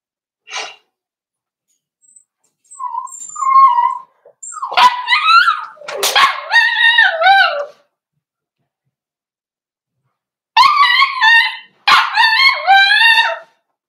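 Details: Cavalier King Charles Spaniel puppies, four weeks old, in an indoor pen while being socialized and offered puppy mash. They give a series of high, quavering whimpers that rise and fall, in bursts of several whines separated by short pauses.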